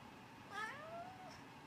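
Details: Domestic cat indoors while a bed is being made, giving a single drawn-out meow that rises then slowly falls over about a second, quiet room with faint background hiss.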